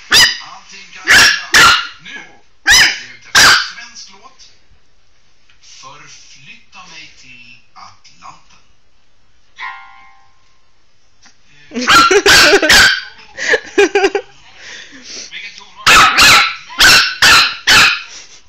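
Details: Pomeranian puppy about 12 weeks old, offered some Coke and not liking it; sharp high yaps in bursts at the start, a quieter middle, then rapid clusters of barks near the end.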